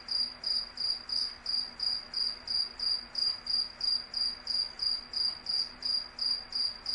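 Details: Insect. An insect calls at night with a high, ringing trill broken into even pulses, about three each second, never changing pace. A faint low hum sits far beneath it.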